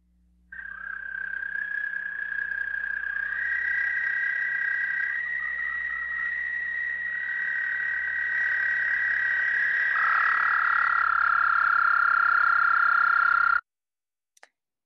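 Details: An American toad, a Michigan spring caller, gives a long, high, soprano-like musical trill, steady and unbroken for over ten seconds; its trill can last up to 30 seconds.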